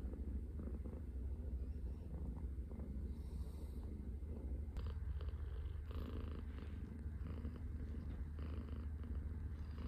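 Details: A Scottish Fold cat purrs in the morning after taking over its owner's arm as a pillow, a quiet continuous low rumble with faint rustling.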